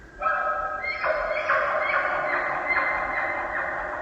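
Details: A bull elk in the rut, deep among Sitka spruce in a valley on the Olympic Peninsula with a river in the distance, bugles to intimidate a rival bull and attract cows: a harmonic cry stepping upward into rapid, evenly spaced grunts.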